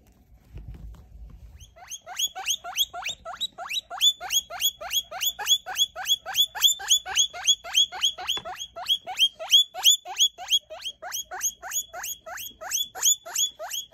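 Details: Three-week-old baby guinea pig handled for weighing and sexing: after a short low rustle, a steady train of shrill rising squeaks repeats roughly three times a second for over ten seconds, bright and piercing, with laughter following.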